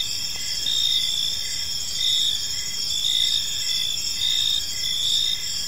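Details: Crickets chirping on an evening in a peaceful park: a dense, high, ringing chorus with short pulsed chirps repeating about once a second over a faint low background hum.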